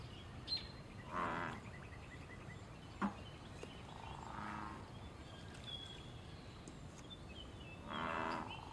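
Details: Wild American bullfrog in a pond, calling amid mating and territorial activity: a few deep, buzzy croaks spread several seconds apart, mixed with thin whistled birdsong and soft clicks in the background.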